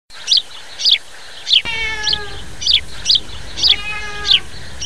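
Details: Black cat giving a drawn-out, falling meow, with a fainter second meow later, while a bird chirps in short, high notes about once a second throughout.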